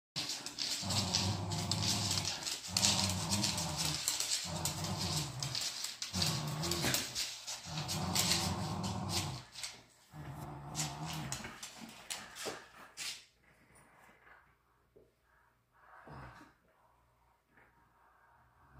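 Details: A Miniature Schnauzer confronting a computer chair growls in rough, rhythmic bursts, then falls quiet apart from a few soft knocks.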